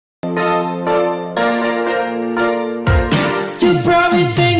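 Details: Loud cheerful music with sung notes, jingling tones and plucked strings, shifting into a swooping sequence; no animal voice heard.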